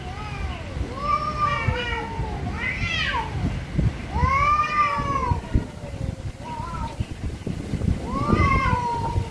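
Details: Very angry cats meowing loudly, repeated arching meows every second or two, some climbing into tense high squalls, over low thumping background noise.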